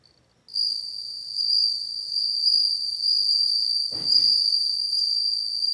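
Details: Bell cricket's sustained, high, pure ringing trill starts after half a second and continues throughout; a brief low knock is heard midway.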